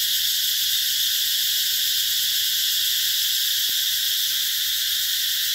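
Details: Summer cicadas at a green eco-tourism spot in Vietnam's Mekong Delta, making a constant loud buzzing wash of high sound with no pauses or pattern changes, and one brief faint click midway.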